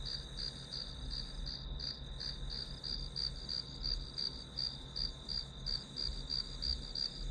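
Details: High, pulsing insect trill from grass insects used as white noise for studying, beats coming about three a second without pause, low background hum beneath.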